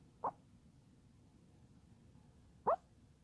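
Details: Sleeping Chihuahua Gizmo yelps in a dream, giving two brief, pinched whimpering squeaks roughly two and a half seconds apart against a hushed, still background.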